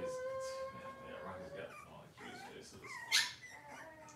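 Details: Cavalier King Charles Spaniel puppy, indoors in a kitchen on a cloudy morning, holds a long steady whine, then breaks into wavering, sliding whimpers and a sharp yelp near the end, with soft household noise beneath.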